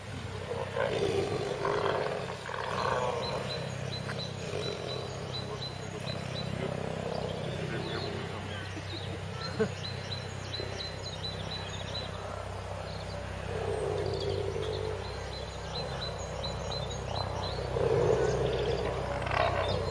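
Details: Wild tiger during its mating period, a continuous low rumbling roar-growl that swells and fades over about twenty seconds, with faint thin bird chirps above.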